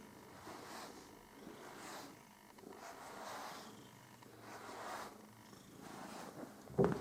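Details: Pet cat Püppi purring while being groomed, slow breathy purr cycles roughly every second, ending with a short sharp knock.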